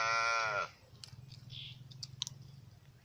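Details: Lamb giving one short, high, clear bleat of about half a second, then faint clicks and light tapping over a low steady hum.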